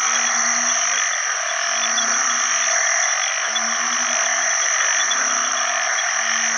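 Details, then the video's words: Banded bullfrogs calling for mates in a water source after heavy rain at the start of the rainy season: low, droning, harmonic moans lasting about half a second, overlapping and repeated, under a dense, steady high chorus of other frogs and insects. "อึ่งอ่างร้องหาคู่ bullfrog call"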